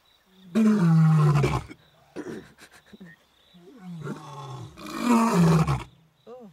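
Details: Two wild male lion brothers about eight years old in Africa roaring to call females; two long, powerful low roars about four seconds apart, with shorter grunting sounds between them and crickets trilling behind.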